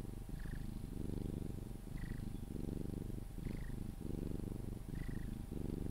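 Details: Cuddled Sphynx cat purring on its way to sleep. A continuous deep, vibrating rumble rises and falls in breath-length waves of about a second and a half, with a small high squeak at each of four breaths.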